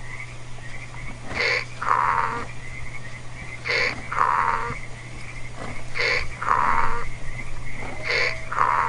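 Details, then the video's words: Domestic donkey braying: paired notes repeat about every two and a quarter seconds, a higher rasping intake note followed by a lower, harmonic-rich exhaled note, over a steady low electrical hum. "Donkey Sound"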